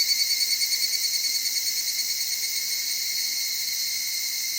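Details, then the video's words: Evening cicada in the Okutama highlands of Tokyo: the clip opens on a string of rapid, evenly spaced soft pulses that gradually fade, leaving a continuous high insect hum from a cedar forest. "EVENING CICADA"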